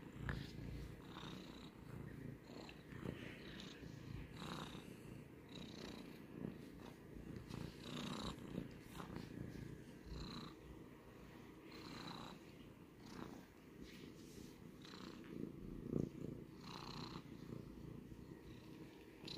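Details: Pet cat purring steadily, a low rumbling drone pulsing with each breath, the in-and-out cycle repeating roughly every two seconds, with soft faint hiss-like breaths on top.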